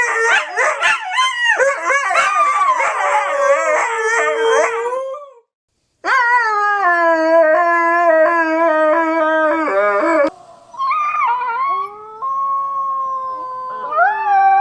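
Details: Siberian Husky puppy howling and yipping: quick wavering yelps give way to long quavering howls, then steadier drawn-out tones after a short silence.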